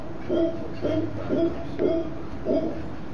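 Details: Howler monkeys on a private property in Santa Teresa, Costa Rica, in 2011, where they travel through the beachside trees. Five short, hoarse, grunting bursts come at roughly even intervals of about two-thirds of a second, over a quiet background.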